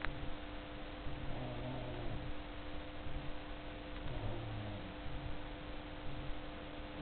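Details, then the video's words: Enya, a dog, snoring really loudly while asleep: two slow, low rumbling breaths a few seconds apart over a steady background hum in a quiet room. "Enya snoring"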